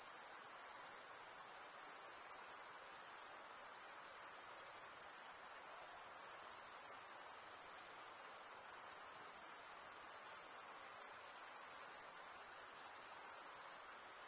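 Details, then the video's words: Steady high-pitched chirping of crickets at night in summer woodland, a continuous shimmering trill with a short dip around three and a half seconds and faint hiss below. "Pure cricket music for 20 min"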